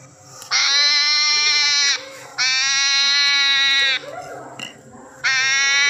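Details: A crying hedgehog gives drawn-out, bright, buzzy harmonic wails of about one and a half seconds, repeated roughly every two seconds, with faint rustling and a low hum between cries.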